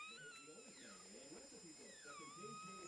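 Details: Newborn Chihuahua puppies just after birth from their mother Sweet Pea, one of a litter of three. Thin, wavering high cries slide down and then up again over background music and quiet human talking.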